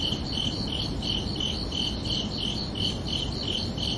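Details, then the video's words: Night chorus of crickets on a summer evening, a regular train of short, high, trilled chirps roughly every third of a second, steady in loudness, with a soft low-pitched background rumble beneath. "Calming Cricket Sounds for Relaxation"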